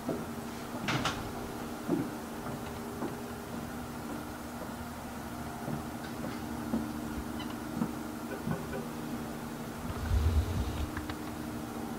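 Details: Scattered knocks and taps over a steady electrical hum, with a low thump around the tenth second and no animal voice.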